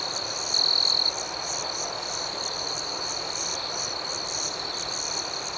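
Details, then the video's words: Nighttime cricket chorus for sleep and meditation, a dense high trill with rhythmic pulsing and one brief louder, purer chirp burst early on, continuing evenly to the end. "Soothing Cricket Sounds"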